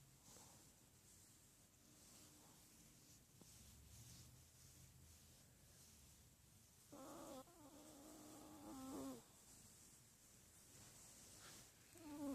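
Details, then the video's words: Indoor Miniature Pinscher in a quiet room producing a wavering, nasal whining moan for about two seconds that ends in a higher squeak, followed later by a brief short whine. "Min pin making noises"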